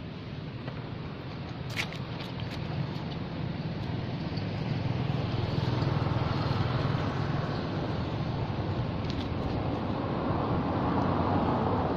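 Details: A steady roar of road traffic and engine rumble fills the whole stretch, growing slightly louder toward the end, with no animal call standing out.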